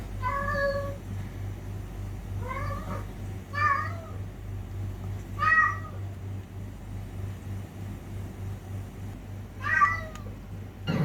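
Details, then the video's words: Fighting cats: sparse, short meows spaced irregularly a second to several seconds apart, some clipped and chirpy, against a quiet low hum. "TRY THIS SOUND ON YOUR CATS"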